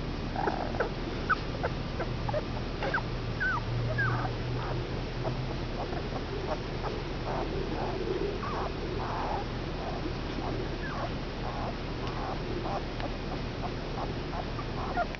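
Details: Five male Komondor puppies at two weeks old keep up a stream of short whimpers and squeaky yelps, many overlapping, against a constant low background hum.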